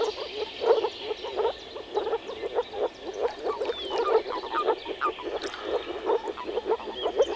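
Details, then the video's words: Moor frog males calling through their vocal sacs at a small forest pond during early-spring spawning. Many voices overlap in a dense chorus of short, low, bubbling croaks repeated rapidly, with a few faint higher bird notes above. "Nature sounds – Moor frog (Rana arvalis)"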